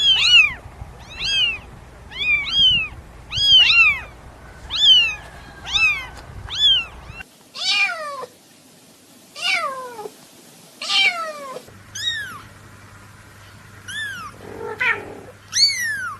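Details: Newborn domestic kittens meowing: rapid run of short high arched mews, nearly one per second, then louder drawn-out falling mews and scattered higher squeaks, with a low hum in parts.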